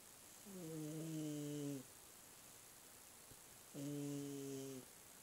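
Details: Misty the cat snoring once more: two steady, droning, hum-like breaths, each a little over a second long, about three seconds apart, against a quiet background.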